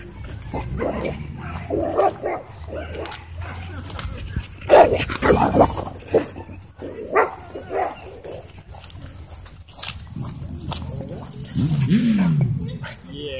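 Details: Doberman and Belgian Malinois in a dogfight at a dog park, broken up with an e-collar correction: bursts of harsh barks and snarls come in uneven clusters over steady low wind rumble, with people's voices mixed in.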